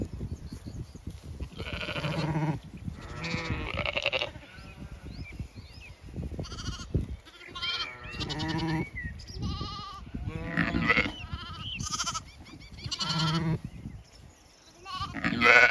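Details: Grazing Zwartbles sheep moving to fresh pasture on a regenerative Irish farm in County Kilkenny on a late afternoon; a chorus of overlapping bleats, some deep and some high, comes in bursts with brief quieter gaps and faint birdsong.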